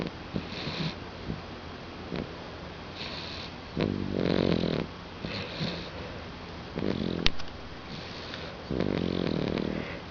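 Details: Pet dog sleeping comfortably on a couch indoors, snoring: low, rasping, buzzy snores drawn out for about a second each, returning every two to three seconds, with soft clicks between breaths.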